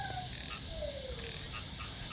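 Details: After rain, frogs and small frogs croak and drone together in a dense chorus in a flooded rice field behind a house.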